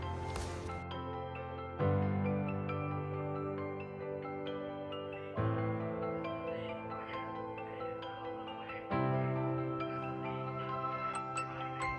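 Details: Soft marimba-like music plays throughout, with chords struck roughly every three and a half seconds. No kitten meows or other animal sounds stand out.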